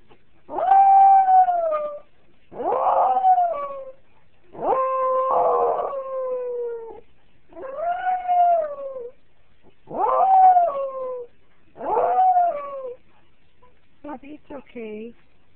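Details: A Jack Russell Terrier cries in long, tonal, slightly falling whines about every two seconds, crying after someone leaves.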